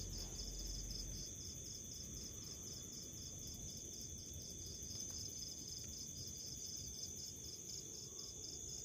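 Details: A house cricket gives even chirp pulses at about four a second, rapid and unbroken across the recording. A steady high-pitched hum and low background rumble sit beneath the pulses.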